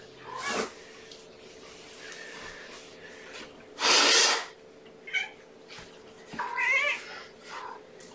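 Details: Kittens meowing at breakfast time in a kennel with their mother Gamora, a litter of five born April 14th; high, wavering mews with harmonic stacks near 6.8 seconds, plus bursts of broadband rustling and handling noise indoors.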